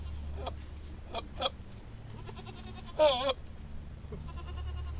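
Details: Billy goat making a funny sound: short nasal grunts followed by one loud, wavering, harmonic bleat lasting about a third of a second, over a low steady hum.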